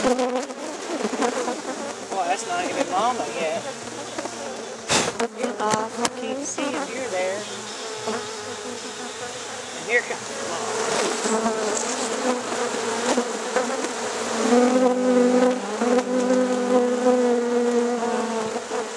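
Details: Late-night hiving of honey bees at Rosharon: a continuous, humming buzz of many bees, broken by loud knocks and scraping from the box, with the drone swelling and wavering near the end.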